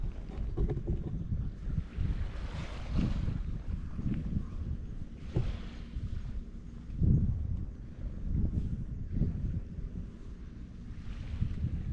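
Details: Wind buffeting the microphone and waves washing against a breakwater, with no animal voices heard.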